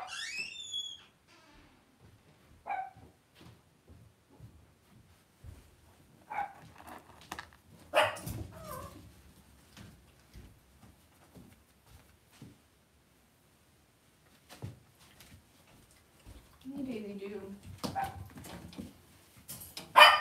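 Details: Cavalier King Charles Spaniel puppies raised indoors in a home puppy pen on a livestream; a high, thin falling whine opens, followed by scattered short yips and a harmonic whimpering bark near the end, with quiet room clatter between.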